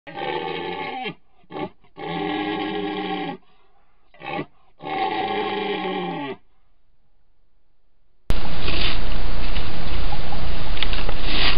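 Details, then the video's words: Male red deer roaring during the rutting season in the North Central Alborz protected area near Nowshahr, Iran, caught by ranger cameras; males roar to compete for females. Several long, harmonic, moaning roars with short gaps, followed by loud steady noise. "گاوبانگی: زمانی برای مستی مرال‌ها"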